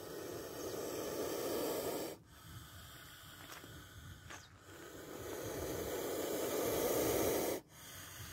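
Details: Spectacled cobra hissing during a close escape from its bite: long breathy hisses, each about two seconds, broken by sharp short gaps, with a steady low background rumble.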